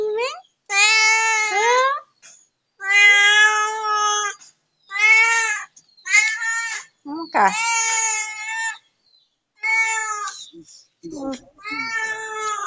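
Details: A domestic cat belonging to a neighbour meows insistently, with long, even, harmonic cries following one another almost continuously and brief pauses between them.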